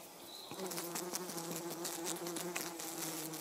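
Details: A mating pair of European hoverflies among three: after half a second a steady droning wing hum starts and holds, low and even, with a higher overtone above it and light ticking noises.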